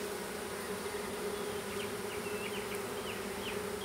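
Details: A small honey bee swarm being hived in a privet hedge thicket in south Alabama on 12 April 2014 fills the air with a dense, steady, mid-pitched hum; Western honey bee.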